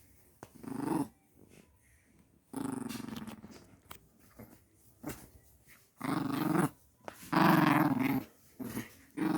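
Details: Pet puppy at home growling indoors in a small room: rough, low rumbling growls in bursts, short ones early on, then longer, louder drawn-out growls in the second half, with quiet pauses between.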